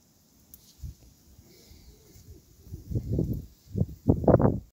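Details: Herd of goats; after quiet rustling and low rumbling, short harmonic bleats rise near the end, a cluster of three pulsing bursts followed by two louder wavering cries in the final second and a half.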